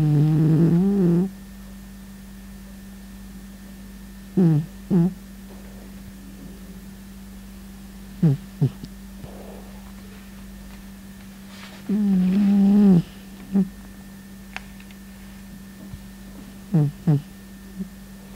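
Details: Domestic cat snoring indoors: low, rasping snore bursts, some long and some short, recurring every few seconds with quiet gaps between, over a steady low electrical hum.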